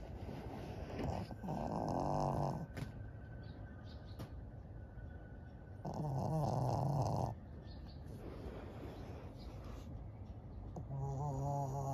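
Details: Maria, a 12-year-old senior fawn female pug in Japan, recorded in May 2023: rattling, vibrating snores come in bursts of about one and a half seconds, roughly every five seconds, with quiet breathing between.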